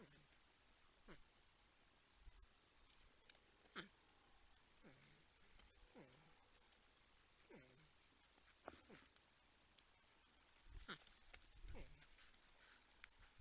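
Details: Porcupines at the Texas Wildlife Cam in San Angelo, Texas, humming and grunting near a buck and a raccoon; faint tonal calls slide steeply downward, repeating every second or two over a quiet noisy background.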